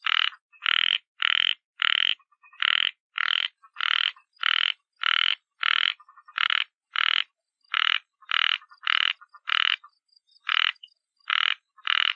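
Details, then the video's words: Frog croaking, a rough rasping 'krot krot' repeated in about twenty short bursts over twelve seconds, mostly evenly spaced with a few brief gaps, against a silent background. "សំលេងកង្កែប (យំលឺ ក្រត ក្រត ក្រត)"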